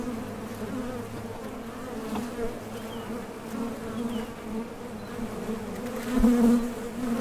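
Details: Honey bees at the entrance of a top bar hive, leaving and landing while foraging for nectar; a steady low droning hum with a strong band and overtone, swelling briefly near the end as a bee passes close.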